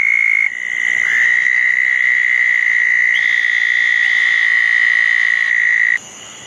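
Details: Southern toad calling beside a small dug pond on a wet June night in 2014 after a thunderstorm: one sustained, even, buzzy trill begins after half a second and stops abruptly near six seconds, with a fainter caller overlapping.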